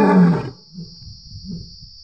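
A lion gives a loud, deep roar that quickly fades into low, rumbling grunts.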